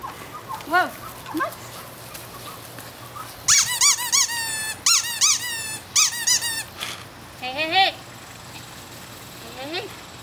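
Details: Four seven-week-old male Toy Schnauzer puppies (two liver parti, one black and white parti, one black and silver) romping and playing outside; bursts of high, squeaky, harmonic yips in quick clusters, with a person repeatedly calling "hey" over them.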